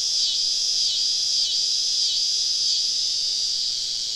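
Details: Southern summer evening in deep woods, cicadas all around a camp: an unbroken shrill, rasping drone, steady in loudness, with faint rhythmic pulses riding on the high buzz.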